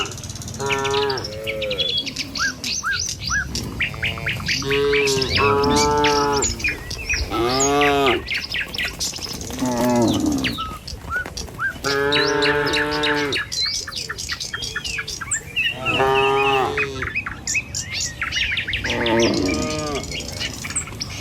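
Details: Tame cattle in a herd walking along a village road toward their pen in the morning: repeated drawn-out, arching moos from several animals, roughly eight across the stretch, over constant busy chirping and twittering of birds.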